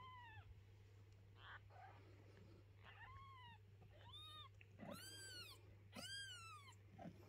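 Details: Indoor house cat relocating her kittens, resisting the cleaning of their nest box; repeated bright arched meows that grow louder and fuller toward the end, about one per second, over a low hum.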